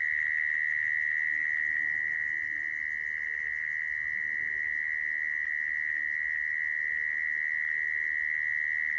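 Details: Mole cricket sound for trapping crickets: one sustained, piercing buzzy trill at a constant pitch, with no pauses, over quiet background.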